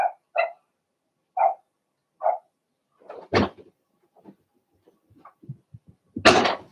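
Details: Litter of Blenheim Cavalier King Charles Spaniel puppies, two females and four males, penned indoors; a few evenly spaced high yaps, followed by bumps and a loud sharp clatter near the end.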